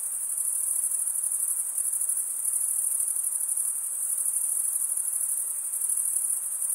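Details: A continuous chorus of crickets, the males chirping by scraping a serrated wing vein. It forms an even, piercing high trill with a fast tremolo and a gentle rise and fall in intensity.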